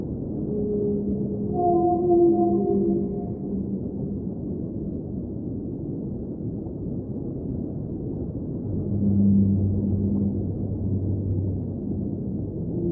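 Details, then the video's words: Whale singing underwater in an ambient relaxation soundscape: low, drawn-out tonal moans with stacked harmonics, a higher sustained note near the two-second mark, then a deep moan later, over a steady underwater hiss and rumble. "Underwater Whale Sounds - Ambient Soundscape | Whale Singing"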